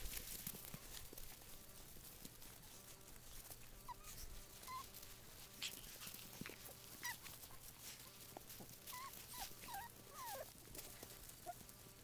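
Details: Puggle (Pug x Beagle) puppies, six and a half weeks old, playing outside: faint, thin high whimpers and squeaks, short rising and falling notes scattered through, over steady rustling, clicks and scuffing noise.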